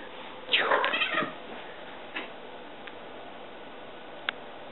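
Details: Ellie, a pet cat, during a game of fetch: one bright, harmonic meow lasting about half a second, followed by a few faint clicks and soft taps in otherwise quiet surroundings.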